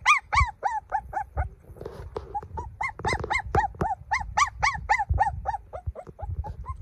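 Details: Baby golden dog cries insistently, a fast string of short, bent, high whimpers that hardly stops, briefly blurred by a faint rustle near the two-second mark.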